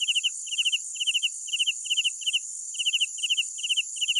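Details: Chirps from crickets at night: pulsed triplets and quadruplets of bright notes arriving about twice per second, layered over a steady sizzling background hum of distant insects.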